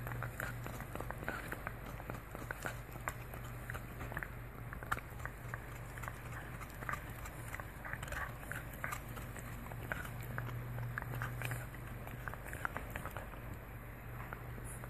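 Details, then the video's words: French Bulldog indoors chewing a deer antler, with a steady stream of sharp clicking and crunching gnaws that come several times a second, over a low constant hum. "French Bulldog chomps on a Deer Antler"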